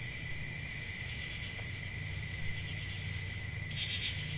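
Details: Crickets on a quiet country summer night keep up a constant high, even trill, joined near the end by a brief brighter hissing burst, with a soft low rumble below.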